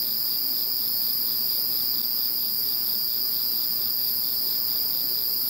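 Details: Insect chorus recorded once Typhoon No. 21 had passed: several high, even trills overlap continuously with a gentle pulsing beneath, no breaks or other voices.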